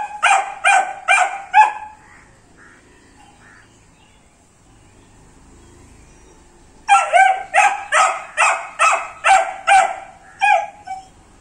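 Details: Shrill barking from a Dobermann Pinscher puppy aged 78 days: four fast barks opening, a long quiet interval with faint soft sounds, then a steady string of about eight clear yaps, a brief break and two more.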